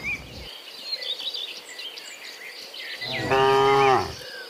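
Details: Afternoon return of dozens of cows from the fields to the pen; after a quiet stretch of bird twitters, one loud, strongly harmonic moo lasting about a second.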